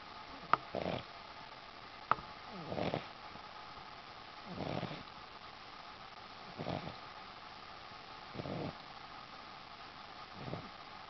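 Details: Sleeping Boston Terrier on a sheepskin: breathy, low snores repeated about every two seconds, six in all, with two sharp clicks near the start and a constant faint hum behind.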